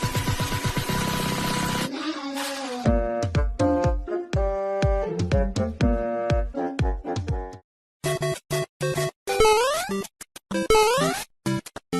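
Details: Bouncy comic music with plucked and tinkling notes plays throughout, broken by short pauses, with no animal sound audible.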